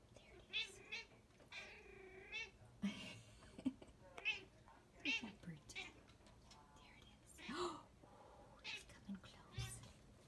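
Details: Young female Bombay cat at a window watching birds and chattering at them: a run of short, nasal, harmonic chirps and trills, some rising and falling, spaced irregularly over ten seconds, with soft clicks and thumps in a quiet indoor room.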